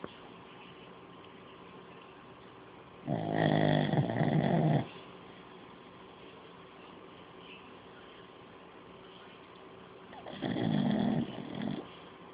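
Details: Old pug dog asleep, snoring very loudly indoors; two long rough rasping snores of about two seconds each, seven seconds apart, over a steady background hum.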